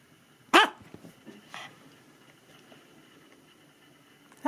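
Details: Maltese dog at home reacting excitedly as its owner returns from going out: a loud, sharp bark, a softer yap about a second later, a quiet pause, then another loud bark at the end.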